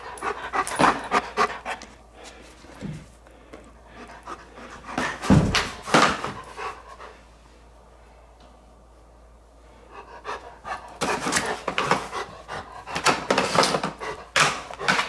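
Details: Giant Schnauzer, a male dog, gnawing a three-foot bone indoors; rapid breathy panting about 105 times a minute in bursts, a quiet stretch in the middle, and chewing and crunching throughout.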